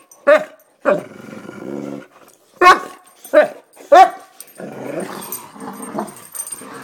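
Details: Pumped-up boxers giving several loud bright barks, each followed by long low rumbling growls, the growling continuing steadily through the second half.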